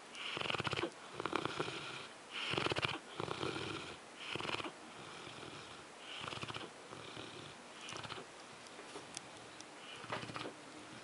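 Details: Zues, a sleeping French Mastiff, snoring with rough, fluttering breaths that come in bursts about once a second, each inhale and exhale rattling loudly before short quiet gaps.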